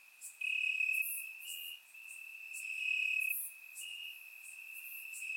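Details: Crickets calling from grass on a warm summer night, Bulgaria, surround microphone: a piercing steady trill that swells loud twice in just over five seconds, then settles to a softer continuous drone.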